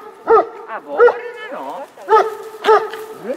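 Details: Eleven-year-old dog Leo, eager for the ball carried by fellow dog Rush, lets out five or six clipped, squeaky yelps with a drawn-out wavering whine in the middle.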